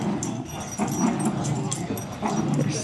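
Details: Low, rough growling during a long tug-of-war over a toy between two pet dogs, Riley the miniature schnauzer and Buddy the lhasa apso. A steady rumbling drone with a gremlin-like quality runs throughout, with a person talking over it.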